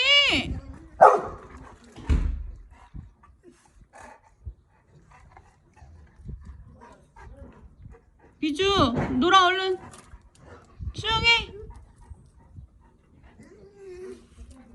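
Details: Golden Retriever, the eldest of the household dogs, barking wildly at a home swimming pool in Cheongju when the youngest dog goes in alone. Harsh, harmonic barks come in two bursts, with a person's voice scolding nearby and splashing sounds.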